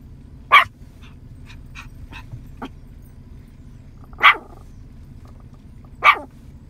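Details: Yorkshire Terrier aged nine months barking at cows scattered in a field to call them over: three sharp, isolated barks spaced roughly two seconds apart, with faint clicks and ticks between them.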